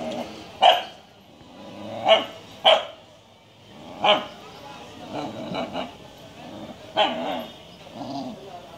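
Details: Japanese Shiba Inu barking: about six sharp, short barks at irregular intervals over nine seconds, some in quick pairs, with human voices talking softly between them.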